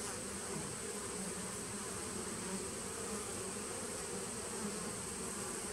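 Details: Even, unvarying drone of many honey bees inside a nucleus colony, recorded 19 September 2018; the low hum stays constant the whole time.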